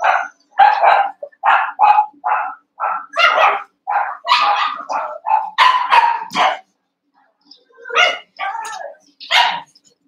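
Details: One-month-old Cavalier King Charles Spaniel puppies wrestling and playing together in a pen, eight puppies in all. A rapid string of high, short yapping barks, some doubled, with a brief pause before a few final yelps.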